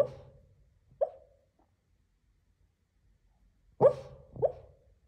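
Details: Sleeping Lhasa Apso barks while dreaming: a muffled woof, a short second yip a second later, a long silence, then a louder double woof near the end, all low and clipped.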